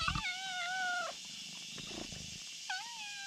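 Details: Kitten lying on a bridge calls a black cat over to it; two clear, tonal meows, the first long and slightly falling, the second shorter after a pause, over a steady high hiss.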